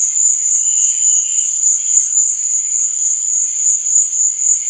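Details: Crickets at night: a steady, shrill, very high trill runs unbroken throughout, with a softer, lower chirping pulse underneath around the first second.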